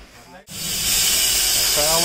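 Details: Venomous Russell's viper hissing to defend itself during a snake rescue, as loud as a pressure-cooker whistle: a sudden, harsh, continuous airy rush that swells and holds, with a man talking briefly before and at the end.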